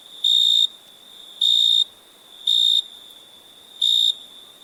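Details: Night cricket chorus with four sharp, ringing high-pitched chirp bursts, each lasting under half a second and spaced about a second apart, above a faint constant background trill.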